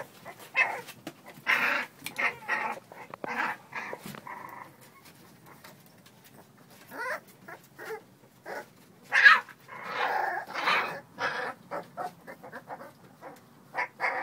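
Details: Young American Bully pups at play: clusters of short growls and whines come in bursts separated by quieter scuffling and tapping, one sharp louder yelp standing out later on.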